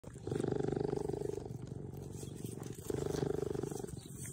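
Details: Two young orphaned cheetahs, which lost their mother at a few weeks old and are now kept at a care centre, give a low, rapidly pulsing, purr-like rumble in two drawn-out bursts.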